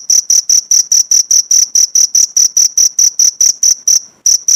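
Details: Cricket song meant for teaching pleci (white-eye) birds: quick high-pitched chirp pulses in an even rhythm, then a brief gap near the end before the chirping resumes.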